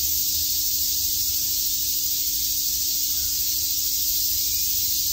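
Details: Summer cicada chorus at Shakujii Park in Tokyo, a continuous shrill buzzing wall of sound with no breaks or pulses, backed by a faint constant low hum.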